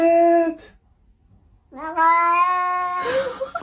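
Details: Pet cat meowing indoors in a small room: a short tonal meow, a pause, then a longer drawn-out meow with a steady pitch that ends in a brief rougher sound.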